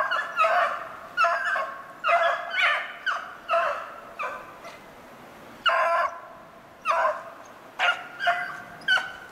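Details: Beagles hunting snowshoe hare, 25 February 2016, giving a steady chorus of short, ringing bays repeated about every half second, with a pause in the middle before the baying resumes.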